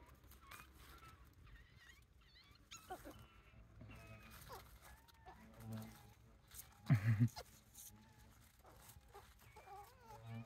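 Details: Wild Japanese raccoon dog pups from a family of about eight with their mother, on the Kushiro Marsh Observatory walkway in Hokkaido, Japan; a scatter of short, thin, wavering squeaks and whimpers, a dull thump midway, quiet voices nearby.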